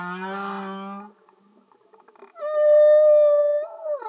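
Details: Humpback whale song recorded below the surface: a low harmonic moan, a brief pause, then a loud, steady, higher tonal note held for over a second before bending downward.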